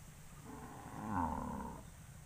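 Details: Cattle assembled on a road ahead of going to pasture give one full, swelling moo lasting just over a second, rich in harmonics, with low rumble underneath.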